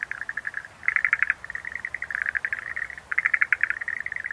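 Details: Schlegel's green tree frog gives fast rattling pulse trains almost without pause, with two louder, brighter clusters of clicks standing out from the steady chatter.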